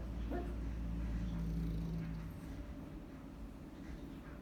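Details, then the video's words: Chachi the dog, asleep, lets out one brief muffled bark followed by a low, drawn-out droning note like a snore or whine, then only the faint room hum. "Chachi Snoring and Barking in his sleep"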